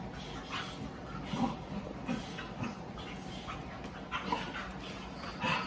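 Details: Puppies Oatey, a rescued Plotthound mix, and Rallo, a Cane Corso and Dogue de Bordeaux cross, on a puppy cam with older mastiff Maggie; soft low whimpers and grumbles come in short bursts over steady background hiss and scattered clicks.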